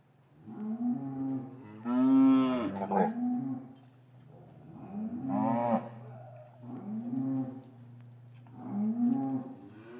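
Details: Cows in a traditional English cattle yard lowing on a winter afternoon after calves were taken from their mothers; four loud, harmonic moos spaced about every two seconds, each swelling then sliding down, over a steady low hum.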